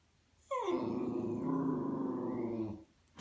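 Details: A white Miniature Schnauzer perched on a sofa back growls and "talks" at neighbours coming home: a brief falling whine, then a low, rattling grumble wavering in pitch like talking, stopping abruptly.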